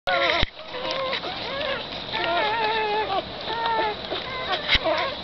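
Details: Six black greyhound puppies with their mother, Hoochie Mama, make high, wavering squeals and whines that overlap, several pups calling at once, with short gaps and a couple of sharp knocks.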